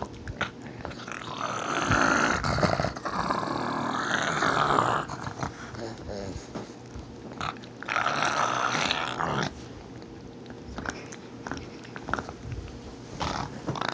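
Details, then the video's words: Pug growling while guarding its bone indoors: two long, rough, rumbling growls, the first running about four seconds and the second nearly two, separated by quieter breathing and small shuffling sounds, with a brief further rumble near the end. "Pug growling"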